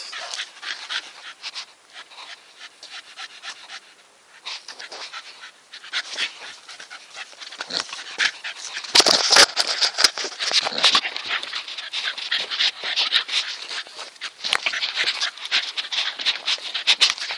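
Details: Staffordshire Bull Terrier named Nikita breathing hard in rapid, breathy panting, starting gentle and growing louder and busier after eight seconds, with rough snuffling bursts packed closely together to the end.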